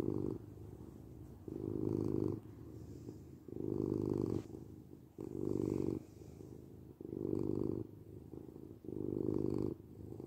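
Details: Domestic cat purring steadily indoors, a low rumbling drone that swells in loud phases about every two seconds, alternating inhale and exhale, with no other sounds.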